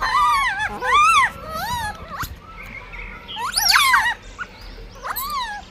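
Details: Wavering, whiny cries from a blind baby monkey fighting for food: long quavering squeals sliding up and down, one sharper shrill burst near the middle, then softer short yelps.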